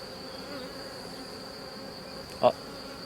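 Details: Honey bee colony that had turned drone-laying, opened during a rescue after a frame of young brood was added; brood now visible. Steady low buzzing hum with faint overtones, broken by one sharp click near the end.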